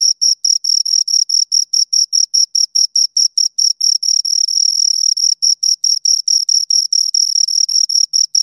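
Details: Shrill chirps of two crickets, regular high pulses that briefly merge into an unbroken trill around the middle before returning to separate beats; nothing else audible.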